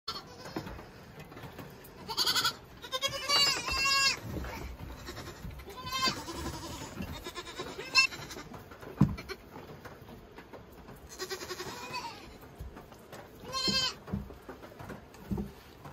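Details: Saanen goat kids, all born male this year and now growing up, bleating in short bursts with several harmonic-rich cries spread through the recording, separated by quieter stretches with a person talking softly.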